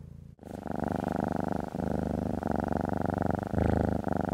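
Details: Pet cat enjoying being stroked, with a short quiet start, then a loud, low, rapidly throbbing purr rising and falling in long breath-length stretches.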